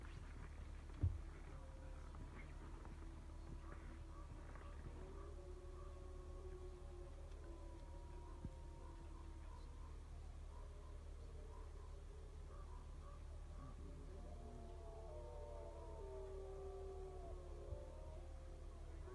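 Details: Several wolves howling together, faint drawn-out tones sliding up and down and overlapping in a loose chorus that builds toward the end, over a steady low hum.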